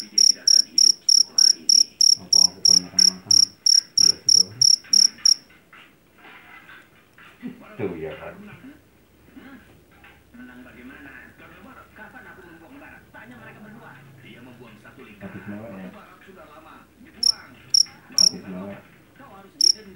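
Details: Field cricket known locally as jangkrik jeliteng or Javanese cricket, caught in a rice field and famed for its loud voice. Shrill, evenly spaced chirps about three per second for five seconds, then a long gap with murmuring background sound before a few chirps return.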